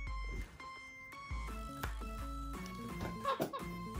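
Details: Plucked, tonal background music with thumps and brief laughter-like bursts, and no clear animal call.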